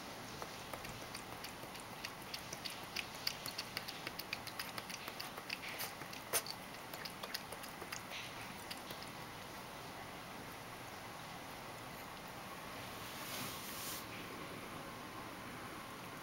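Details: Ragdoll cat Mojio laps milk indoors, given milk for the first time in a long while and drinking more messily than before; quick soft wet clicks for the first half, then a quiet room with a brief hiss.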